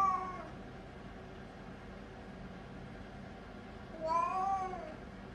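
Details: Three-year-old potty-trained Siamese cat meowing while constipated on the toilet indoors: a short meow at the start, then a long pause with low room hum, then a second, longer, rising-then-falling drawn-out meow.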